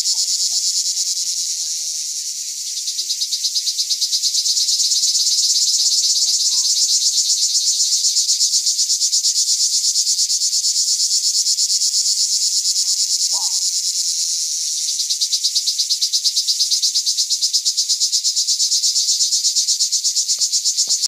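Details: A pine cicada at Rivesaltes in 2013 gives a loud, continuous high buzz, rapidly pulsed and steady throughout.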